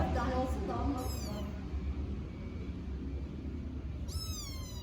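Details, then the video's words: Hungry kittens calling for their mother outdoors: a short burst of Turkish speech, then two thin, high, falling meows spaced about three seconds apart, with low background rumble throughout. "The Heart-Wrenching Meows of Hungry Kittens Calling Their Mother!"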